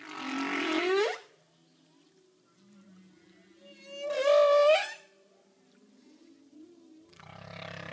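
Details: Humpback whale underwater communication: loud tonal moans and wavering whistled cries with rising and falling pitch, separated by quiet gaps, with low hums in between.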